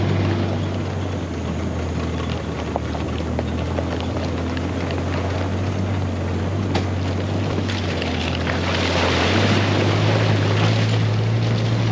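A steady low engine drone, like a boat motor, with wind and water noise and no animal voices.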